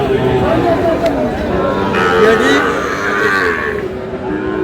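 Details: Sahiwal bull calves at Aftabganj cattle market in Dinajpur, Bangladesh, on 16 May, offered for sale. A steady, drawn-out lowing moo stands out near the end, beneath dense crowd chatter and bargaining voices throughout.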